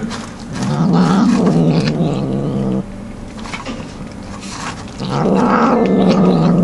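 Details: House cat growling over its food while eating, not sharing; loud, rough, wavering growls in two long bouts with a quieter muttering stretch between, low and buzzy throughout.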